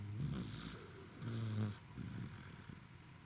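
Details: A tired corgi named Roku snores, recorded 28 November 2021. Three deep, buzzy, rattling snores follow one another about every second, the middle one loudest, over a faint steady background hum.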